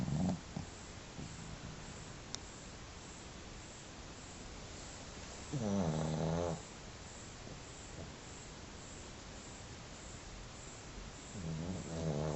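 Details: Snoring from Marola, a pet dog, in soft low rumbles: a longer droning snore in the middle of the stretch, brief snorts around it, and another snore starting at the end, with quiet breathing between.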